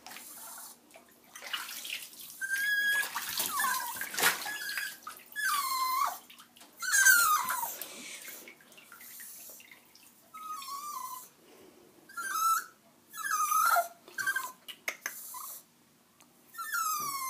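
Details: Diesel, a Jack Russell Terrier, whining through its first bath indoors; repeated high falling whimpers come in bursts every second or two, mixed with running water and splashing.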